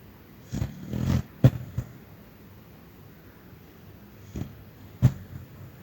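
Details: Little Chester, a dog, snoring while chasing rabbits in his dreams; low rumbling snorts around the first second, then sharp short puffs and twitchy huffs near 1.5, 4.4 and 5 seconds, with quiet gaps between.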